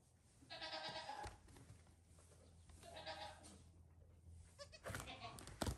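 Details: Farm goat kids a few days old playing in the evening while their mother wants to settle; two drawn-out quavering bleats, then clattering and a low steady hum beneath.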